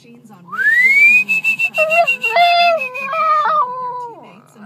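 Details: Puppy crying in reaction to its owner's whistle, which it dislikes: a loud rising human whistle opens, then the pup joins with a wavering, harmonic whine that steps down in pitch over about two seconds and fades out.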